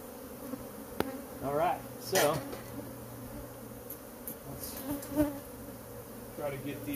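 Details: Honey bee colony living in a cabinet on a covered porch, disturbed while being pulled out with the drawer during a removal; a low steady hum runs throughout beneath a person talking, with occasional knocks and rustles.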